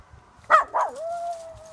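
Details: A Miniature Schnauzer gives two sharp yips, then settles into a steady, drawn-out howl at a passing ambulance.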